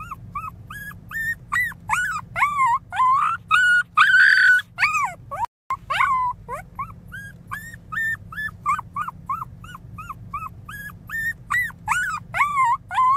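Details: Pinscher pup Teco cries very loudly, a long string of short arched whimpers at about two per second, interrupted by drawn-out shrill wails and a momentary cut, with low electrical hum underneath.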